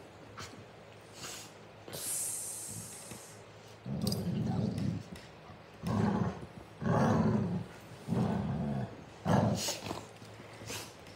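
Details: Two Golden Retrievers, half brother and sister a year and a half apart, play fighting on their backs in a mouthy upside-down game; low rumbling growls come in bursts of about a second, roughly every second or two, with snuffling between.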